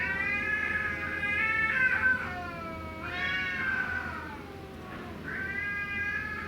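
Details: Cats quarrelling in a fight, their cries turning pitiful as the argument goes on: long drawn-out, wavering harmonic yowls that rise and fall, several overlapping wails in sequence with brief dips between, over a low steady hum.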